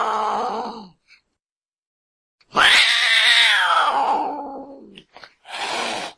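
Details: Cat in water crying for help: a rough, harsh descending wail lasting over two seconds, bracketed by shorter hoarse cries.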